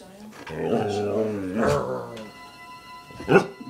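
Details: Rescued stray wolf hybrid Kiba, still wary of people months after adoption, answers a housemate on the couch with a long, wavering, low moan-like utterance rising into a brief peak, then a sharp short sound near the end, TV noise behind.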